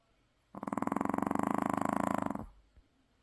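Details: Maltese dog sound asleep and exhausted after a trip to the sea, giving one long rattling snore of rapid fluttering pulses lasting about two seconds in a quiet room.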